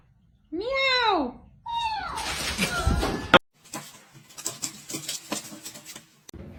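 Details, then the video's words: Pet cat giving two loud meows in quick succession, each a bending, arched wail with rich harmonics, followed by scuffling and clattering household noise. "Cat Fight"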